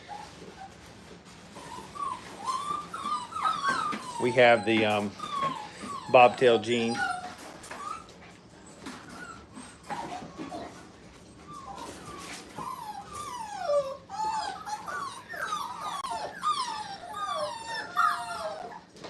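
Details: Puppies five weeks old, first time in the playpen, whimpering in thin, sliding cries that bend up and down, often several at once, with a human voice speaking briefly midway.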